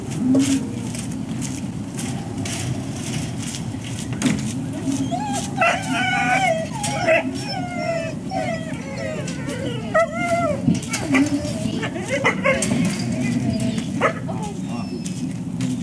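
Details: Breakfast wait for service dogs at ServiceDogProject, Ipswich, Massachusetts, USA, October 14, 2017; sharp clatters punctuate the first seconds, then bursts of pitched, wobbling whines from several dogs over a constant low rumble.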